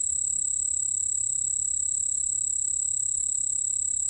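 A white-whiskered bell cricket sings a continuous, very high, thin ringing trill.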